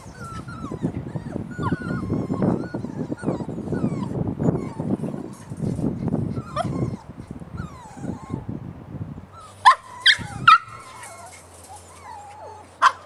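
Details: Puppies whine softly in a continuous, uneven stream of thin wavering cries over low rustling; near the end the background quiets and three louder, sharper yelps stand out.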